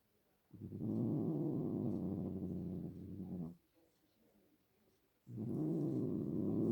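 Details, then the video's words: Pet cat giving a continuous low purring rumble for nearly three seconds, falling quiet for almost two seconds, then starting to purr again. "My cat making sounds"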